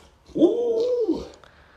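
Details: A brief, steady, tonal howl from Luoluo, a pet Alaskan Malamute. The pitch holds level for most of a second, then dips away at the end against a quiet indoor background.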